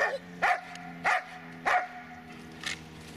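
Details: Dobermann named Magmar Von Der Burgstätte giving three loud, sharp barks about half a second apart, each with a bright tonal core, then a fainter fourth bark after a pause, over a steady low hum.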